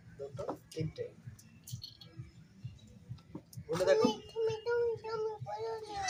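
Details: Baby goat, one of small kids at play: after a few seconds of human talk and clicking, a run of wavering, nasal bleats, each roughly half a second to a second long, follows in quick succession.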